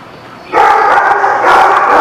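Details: Dog barking recorded 10/7/17: a half second of near silence, then a sudden burst of dense, continuous harsh barking and yipping that holds steady to the end, with a second surge near the close.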